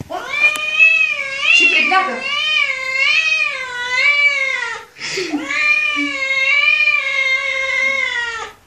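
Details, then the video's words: Angry kitten giving two long, loud, wavering meows, each about four seconds, with a slight warble in pitch, separated by a brief pause; a faint human voice briefly underneath. "Angry Kitten Meowing Loud"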